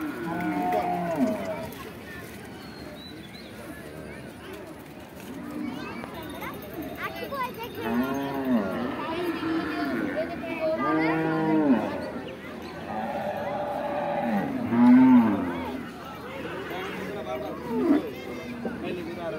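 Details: Cattle at a large cattle and goat market in Hosnabad, Barisal: several drawn-out, low, arching moos one after another across the recording, among crowd voices and a loudspeaker announcement.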